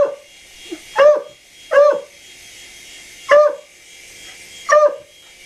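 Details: Dog reacting to a helicopter with four emphatic barks spaced roughly a second or more apart, each brief and punchy, against a low steady hiss.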